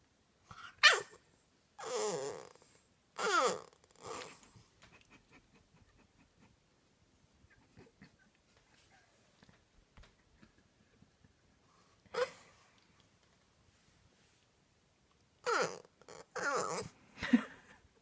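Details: Sweet French Bulldog making funny noises at night while being sent to bed, indoors: several bursts of grumbling, growly vocalising with sliding tones, grouped near the start, once mid-way and again toward the end, separated by near-silence.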